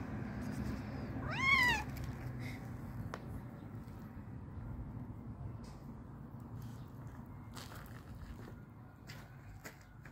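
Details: An excited, hungry stray cat, one of several strays waiting for food, gives a single loud rising-then-falling meow near the start, then goes quiet. A low steady rumble and a few faint clicks and taps continue afterwards.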